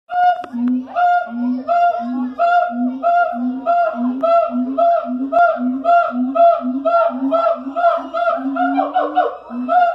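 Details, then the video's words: Siamang at the Columbus Zoo, filmed in the morning, calling in a steady series of hooting, harmonic whoops that repeat nearly twice a second, with low booming notes alternating with higher ringing ones. "Siamang at the Columbus zoo. Vocalization."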